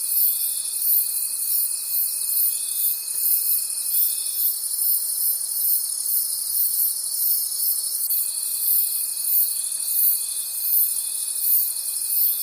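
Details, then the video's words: In a forest at night, crickets keep up a shrill wall of pulsing trills, many callers together, while a steady thinner tone sounds for about four seconds, stops, and starts again after eight seconds. "Forest Sounds and Cricket Conversations at Night"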